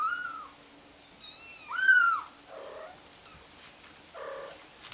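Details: Kitten calling for help, likely stuck up high, utters a few drawn-out falling meows with one strong wail near two seconds, separated by quieter lower cries and faint high chirping in the background.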